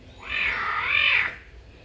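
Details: A single caracal call aimed at birds: a high, whiny, arched wail about one second long. Its pitch bends up and back down, nasal and strained.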